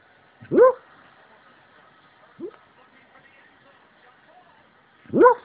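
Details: An 8-year-old rescue Beagle sleep-barking while deeply asleep, with a light coming on: one sharp muffled bark, a faint short yip two seconds later, then another strong bark near the end, separated by near silence and a low hum.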